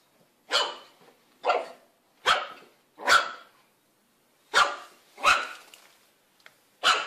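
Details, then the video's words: Puppy barks in a steady series, seven sharp yaps spaced roughly a second apart with a short pause midway, each bark brief and bright, no other sounds. "Los mejores LADRIDOS de PERROS CACHORROS"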